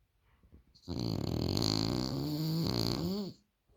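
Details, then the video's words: French Bulldog snoring too loud: a single drawn-out, rattling snore of about two and a half seconds with a rough buzzy tone that rises slightly at the end, preceded by faint breathing. "The French Bulldog Snores Too Loud"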